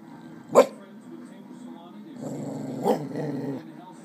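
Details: Carly, a female pet dog, barking during playtime: two sharp, broadband barks a little over two seconds apart, the second followed by a low, rough, growl-like rumble, with a steady low hum underneath.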